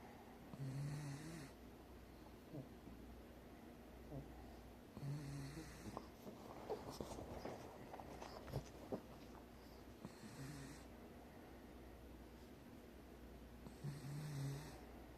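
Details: Pug fast asleep indoors, snoring in slow cycles: a low, rumbling snore roughly every four to five seconds with faint wheezy breaths between, in a quiet small room.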